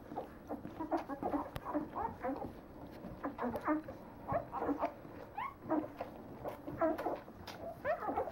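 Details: A litter of 9-day-old Leonberger puppies making many overlapping squeaky whimpers and short yelps with rising and falling tones, several calling at once in a busy chorus with no other clear sounds.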